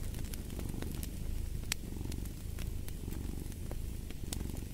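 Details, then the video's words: A domestic cat purring: a steady low rumble with rhythmic swells, joined by sharp crackles and pops from a fireplace throughout. "Fall asleep to the Purring of a Cat & Fireplace"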